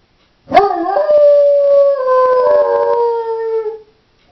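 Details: Female Doberman howling while left home alone: one sustained tonal howl, rising sharply then holding a steady, slightly falling pitch for about three seconds, with a rich stack of overtones and no other sounds.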